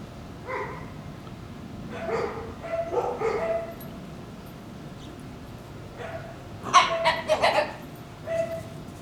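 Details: Two Shiba Inu puppies playing over a bone, making strange fox-like sounds: short harmonic yelps and squeals in uneven bursts, with a louder cluster of rapid cries near the end over a quiet room background.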